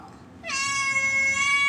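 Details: Native cat in Dubai giving a single drawn-out meow that begins abruptly and holds a steady, bright, harmonic-rich tone for over a second, with faint urban background noise.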